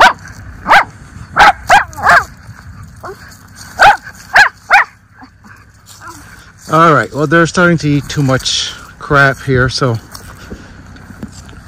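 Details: Two Miniature Schnauzer brothers romping in their leafy yard in Aroostook County, Maine, in October 2024: a run of short, sharp barks spaced about half a second apart, then a stretch of human speech with a few more barks mixed in.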